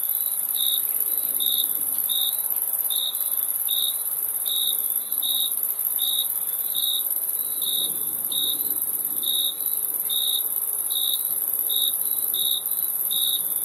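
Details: Crickets chirp in a long regular run of short high pulses, about one every 0.8 seconds, with a persistent very high insect whine throughout.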